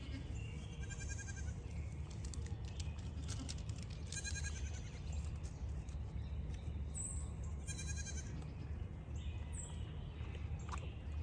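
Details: Pygmy goats at a farm in Knoxville, Tennessee, USA, during a water break, giving thin, wavering bleats every couple of seconds over a steady loud rush of running water.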